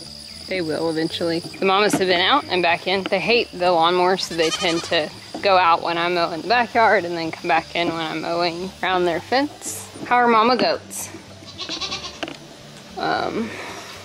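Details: Goat kids at weaning time scream almost nonstop: rapid, overlapping, quavering bleats rising and falling in pitch, several callers at once, with short breaks and a constant high-pitched insect hum behind them.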